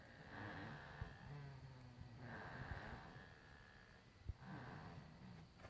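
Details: Nubian goats bunched together in a corner of the barn at night, snoring away in the dark; slow rhythmic rasping breaths with a low rumbling tone, each breath swelling roughly every two seconds, with a faint steady hiss behind.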